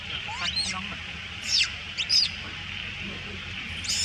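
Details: Little female monkey crying loudly after other monkeys steal her food: a few sharp, high-pitched arching screams with gaps between them, over a steady background hiss and low rumble.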